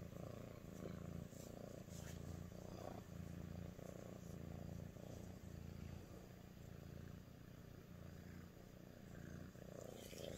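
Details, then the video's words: A female Sphynx cat purrs steadily while showing affection to her owner, a low rumbling vibration pulsing in rapid, even cycles. "Sphynx Cat Purr and Loves Her Human"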